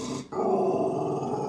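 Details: Staffy and Ridgeback cross rescue dog Lizzie protecting her wheelchair-using owner from a stranger at the door, giving one continuous low, throaty growl that begins abruptly and holds steady to the end.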